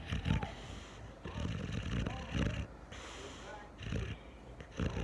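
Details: Boxer dog, brindle, snoring heavily: low rumbling snores in repeated bursts about once a second, rough and throaty, with faint higher noise above.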